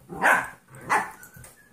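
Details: Puppy play between a 14-week-old golden retriever mix and a 2.5-year-old jack russell/rat terrier mix: two short harsh barks roughly two-thirds of a second apart, with faint background sound after.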